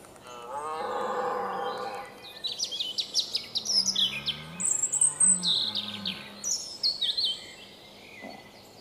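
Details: Red deer during the 2017 rut at sunrise in the Weerterbos, filmed on a Panasonic Lumix GH4: a loud, hoarse, harmonic roar lasting over a second, then lower moaning tones. Songbirds sing busily throughout.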